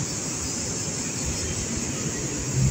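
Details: Cicadas by a roadside on the way to Alanya, Turkey, singing during the day in a steady, high, unbroken buzz over low rumbling road traffic.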